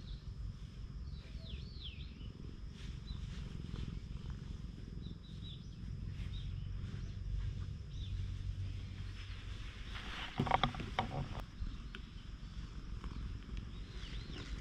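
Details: A stray cat being petted on a Japanese cat island, recorded with a GoPro, makes a low, steady rumbling purr. Faint bird whistles sound early on, and a burst of handling rustle comes around ten seconds.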